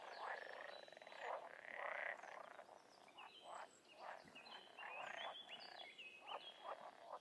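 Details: Wild frogs and toads calling in a dense chorus: overlapping nasal croaks and pulsed bursts, with thin whistled upward notes from birds or other frogs layered above throughout.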